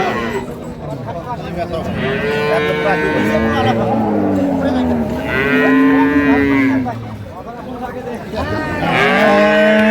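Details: Dairy cattle, improved-breed cows and calves, at Ambari haat market on 2/3/25, lowing three times: long, drawn-out moos that swell and fall, separated by a few seconds of crowd murmur and traders' voices.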